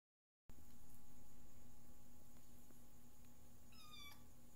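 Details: Little orange kitten, an adopted stray, giving one short, thin meow near the end, over a steady low hum of an indoor room.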